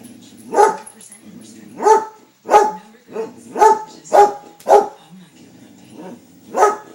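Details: A pet dog at home barking at a squirrel, loud sharp single barks repeated roughly every second with short gaps, eight clear barks over seven seconds, quiet room otherwise.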